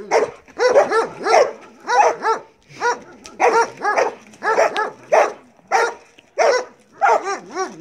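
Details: A Belgian Malinois called Marley barks during bite work: loud, hoarse barks in pairs and triplets separated by short gaps, pitch arching up and down within each bark, fairly regular throughout.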